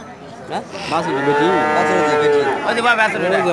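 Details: A cow among a large group gives a full, resonant moo lasting about a second and a half, rising slightly then holding steady, with murmuring people and other noises around it.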